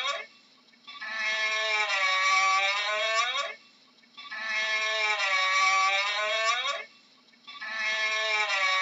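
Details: A camel gives loud, nasal, moaning bawls, each held about two to three seconds before trailing off, recurring at a steady rhythm about every three seconds with brief quiet pauses.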